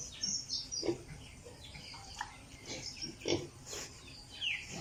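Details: Piglets on an Italian pig farm: sparse short grunts and soft snorts at irregular intervals, one brief high squeal near the end, over a steady background hum.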